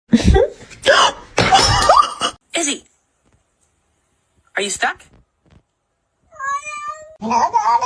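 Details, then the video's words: Kitten meowing, heard after bursts of human talk: two drawn-out, tonal meows near the end, the first wavering and falling, the second following straight after, both close and clear. "kitten meowing call"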